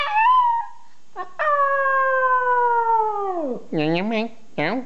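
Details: Small pet dog named Louie responding with howls while a person makes funny sounds: brief tonal note, then a long level howl sliding downward at the end, followed by short rising-falling human vocal swoops.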